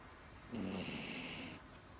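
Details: One drawn-out snore from a sleeping pet Miniature Dachshund, female: a single raspy, hissing breath lasting about a second with a faint whistled tone, then quiet.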